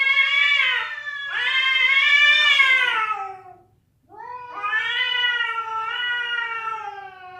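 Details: Domestic cats caterwauling, described as a fight and a female calling a male: long drawn harmonic wails that rise and fall, about three seconds each, separated by a brief silence, no other sounds.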